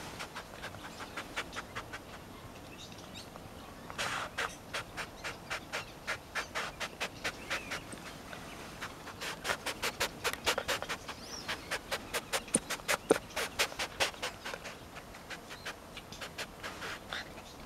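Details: Rescued tayra, not kept as a pet, giving sharp broadband clicks or chuffs. They are sparse and faint at first. From about four seconds they come in rapid bursts, densest around nine to eleven seconds, with a quiet background.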